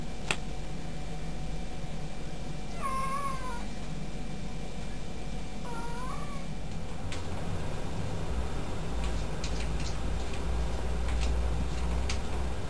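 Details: Benny, a pet cat that started using the toilet on his own, gives two clear meows about three seconds apart, each dipping and then rising, over a constant low hum, with a few sharp clicks later on.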